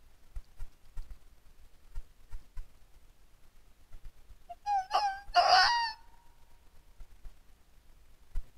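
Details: During the mating season, a red fox gives one short, clear yelp, then at once a louder, rasping, strained bark with a ringing tone, with soft low knocks and rumbles in the background before and after.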